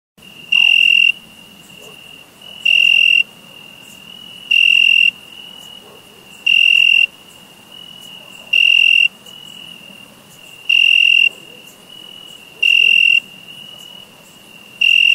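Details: Summer crickets chirping: loud, high, shrill pulsed bursts about every two seconds, eight in all, above a steady thin high tone from other crickets that runs throughout.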